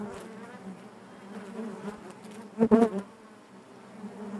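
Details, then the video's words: Honey bees buzzing inside their hive: a steady low hum with harmonic bands, swelling and fading, broken near the middle by a brief louder burst of several sharp buzzes. "bees therapy hive natural buzzing sound"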